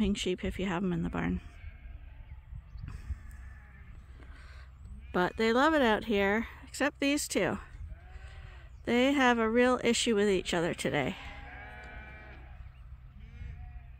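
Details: Flock of sheep crowding at Ewetopia Farms on a morning when rams and ewes go out to fresh pasture for the first time this year; repeated quavering, vibrato bleats from several animals come in bursts between quieter gaps.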